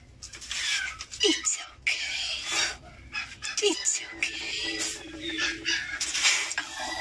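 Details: Angry feral kittens hissing: harsh, breathy bursts of noise in quick succession, broken by brief gaps, with a short high squeak and faint background music.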